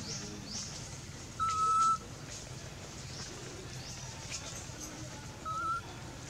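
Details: Anissa, a hungry baby monkey, cries for her mother for milk: two clear, steady whistle-like wails at middle pitch, the first about half a second long, the second shorter, over a soft background hiss.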